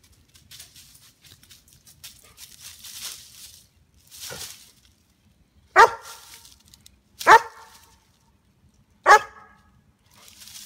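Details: White German Shepherd, a 2-year-9-month-old female guarding her backyard against squirrels, gives three loud, sharp barks spaced about one and a half seconds apart after soft rustling and faint background hiss.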